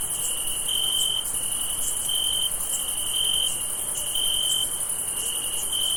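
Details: Crickets trill steadily on a summer night, a high pulsing tone over a fainter, hissing insect chorus.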